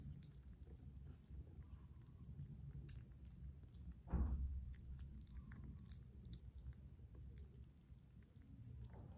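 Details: Kitten eating its breakfast indoors, recorded close up for ASMR: soft, wet chewing and small clicking bites run throughout, with one louder, sharper crunch or gulp midway, over a low room hum.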